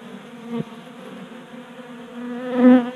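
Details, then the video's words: Honey bees feeding at a 3D-printed tabletop feeder on a garage workbench in Colorado during a warm January spell; a steady low wing hum, swelling as one bee flies close near the end, with a brief tap. "45 Minutes of Honey Bees Feasting from 3D Printed Bee Feeder ASMR"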